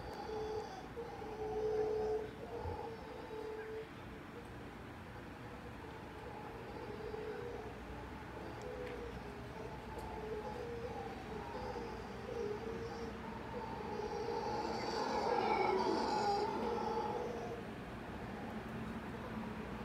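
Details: Morning howler monkeys of a family living in a tree near the ocean at Tamarindo, Costa Rica: drawn-out wavering moans rise and fall over about twenty seconds, swelling louder near the end, with steady road traffic noise throughout.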